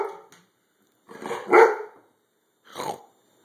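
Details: Four-year-old male chocolate Labrador Retriever barking indoors because he wants to play and get attention; two short rough barks close together, then a single shorter bark, after a person coaxes him to speak.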